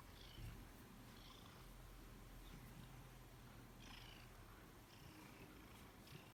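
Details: A 15-year-old Bengal cat being played with purrs in a steady, low rumble that carries on without a break.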